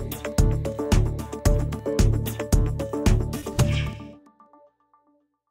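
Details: Upbeat music with a regular thumping beat and plucked notes plays, then fades out into silence.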